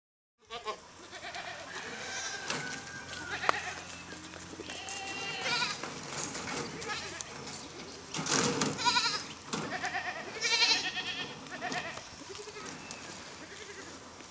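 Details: Several goats straining upward and stretching tall to reach food give harmonic bleats, loudest around the middle and end, over a busy background of rustling and clatter.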